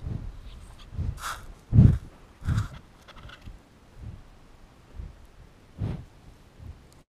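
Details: American bison in a herd amble curiously across a field toward the listener, giving deep, rumbling grunts in short, uneven bursts.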